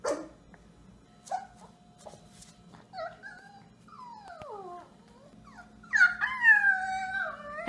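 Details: Puppies in a pet compilation, giving a series of high, thin whimpers and whines that slide up and down in pitch, with a louder, strained whine near the end over a faint low hum.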